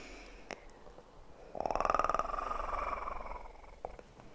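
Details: Kitten purring close up in an ASMR recording: a soft, quiet stretch gives way to about two seconds of steady, rapid throbbing purr, then fades, with faint clicks and handling noises around it.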